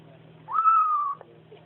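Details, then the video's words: Bengal kitten, newly adopted, making its 'om nom nom' noises while eating: one clear, drawn-out tonal mewing note lasting over half a second, steady then gently falling, over a low steady hum. "Kitten who makes nomming noises"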